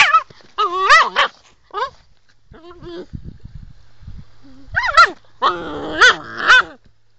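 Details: Female Sloughi puppy in an angry mood: strained, wavering barks open the clip, a pause with low rumbling noise follows, then three loud whiny yelps in quick succession.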